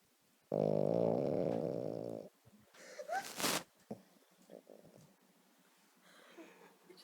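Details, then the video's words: Sleeping, dreaming Boston Terrier giving one long, loud, buzzy rasping snore of nearly two seconds, followed by quieter rustling and a few soft human voice sounds. "Snoring Boston Terrier"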